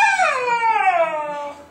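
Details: Husky puppy Kodiak, four months old, answers back when told to come downstairs: a wavering, whining vocalisation that rises briefly then slides down in pitch and fades, in a small room.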